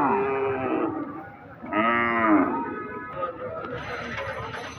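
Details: Angry cow being unloaded from a truck at the Jugni hat cattle market in 2022, giving a long harmonic moo, a short pause, then a second louder rising-and-falling moo, with market noise and faint voices behind.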